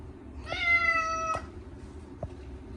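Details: Chacha, a male short-legged Munchkin cat, screams during his once-a-year bath on a hot day, washed with catnip-scented cat shampoo indoors; a single long, steady, harmonic-rich meow lasting about a second, with faint room noise.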